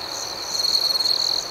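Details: Close cricket chirping at night: a bright, sustained high-pitched trill with fast pulsing, swelling louder in the second half over a quieter ringing background chorus.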